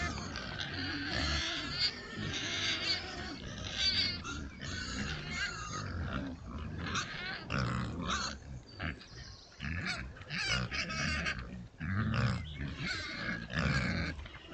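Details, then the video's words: A sounder of Oxford Sandy and Black pigs, a rare British breed, in woods on a trail camera, grunt deeply and squeal in high, harsh bursts, several calling over one another while rooting for food. "What’s Making That Noise? 🐖 Rare Breed Pigs on Trail Cam"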